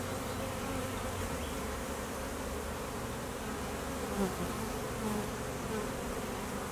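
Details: Western honey bees at an apiary in peak summer, during a heavy nectar flow: a dense, steady hum of many bees in flight, with foragers working hard and drones out on midday mating flights.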